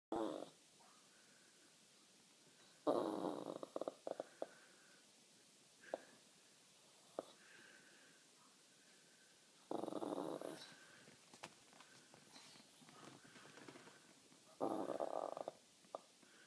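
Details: Small mini Jack Russell terrier, indoors, unhappy after spotting a neighbour's dog on her lawn, making strange non-barking noises: breathy, snorting grumbles in short bursts a few seconds apart, with quiet gaps and small clicks between.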